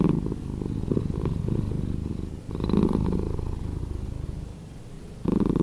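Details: Slowed-down purr of a cat, low and throaty, with a loud rumbling stretch, a brief dip, another strong swell, then a quieter hum before the purr surges back at the very end.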